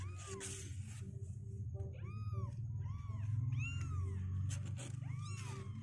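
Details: Meows from kittens two weeks old that no longer want to sit in their box: short arched cries spaced unevenly, several close together mid-way, above a constant low droning background.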